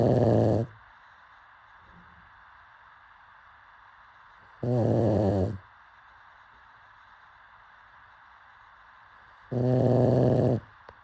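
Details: A sleeping pug snoring: three loud, rough, low buzzy snores, each under a second long and coming about every five seconds, with quiet breathing pauses between them and a faint steady hum in the background.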